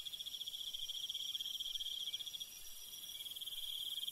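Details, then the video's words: Night insect chorus of crickets in rural countryside. A shrill, fast-pulsing trill holds one high pitch throughout, beating slightly unevenly, over a thin airy hiss. No birds or voices. "밤벌레 소리 ASMR - 귀뚜라미소리"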